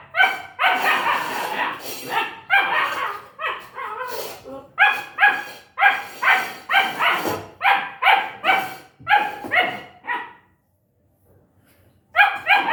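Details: Long-coated German Shepherd puppy giving a long run of sharp, high-pitched yapping barks at an uneven pace, with a brief quiet pause before barking resumes at the end.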